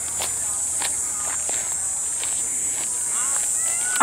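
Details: Cicadas buzzing in bushes of the Panchkula forests on 9 April 2021, a steady, high-pitched buzz unbroken through the whole clip.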